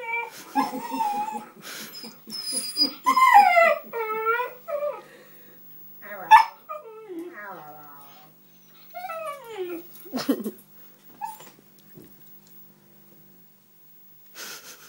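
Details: Thunder, a husky, vocalizing at Zoe the cat in talkative bursts: whining, yodel-like howls that swoop downward, mixed with yips and whimpers, pausing between phrases, with a few brief rustling noises and long quiet stretches near the end.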